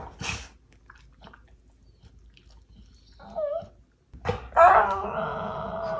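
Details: Labrador lying on a sofa, complaining to a German Shorthaired Pointer companion to get the ball for tug play; brief yelp at the start, soft sounds, then a sustained, steady harmonic whine over the final two seconds indoors.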